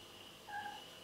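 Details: The domestic cat Mr. Cat makes a brief, clear, tonal meow of about a third of a second, holding a fairly level pitch, over a faint steady electrical hum.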